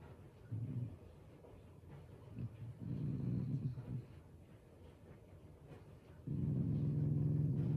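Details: Playful Shiba Inu growling as affection rather than anger toward its owners. Three bouts of low, throaty rumbling, short first, longer in the middle, then a loud sustained growl at the end.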